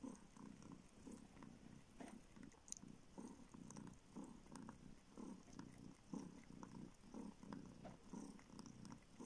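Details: Formerly homeless kitten, never fed by its mother, now living in a northern Siberian village, purrs while sucking a finger seeking milk; rhythmic low rumble in roughly one-second cycles, punctuated by faint sucking and licking clicks.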